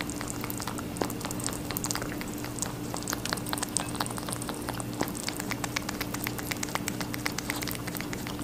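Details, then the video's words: Rabbit eating watermelon, producing a steady patter of small wet crunches and clicks, with distinct snaps near one and five seconds and a low constant hum. "Rabbit eating a watermelon"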